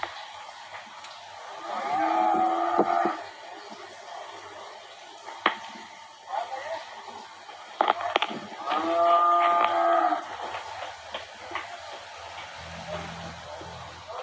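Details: Ranch cattle handled at Rancho La Tijera, Valle de Zaragoza and Huejotitan, Chihuahua, Mexico, during selection of breeding cows and sale lots. Two drawn-out, harmonic lowing calls about seven seconds apart, mixed with scattered knocks, clatter and faint voices.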